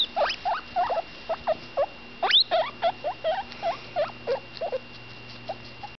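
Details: Butterscotch, a roughly 10-day-old female guinea pig, chatters mid-meal in short, lower squeaks and brief upward chirps, one longer high rising whistle near the middle, spaced irregularly, with a low constant hum behind.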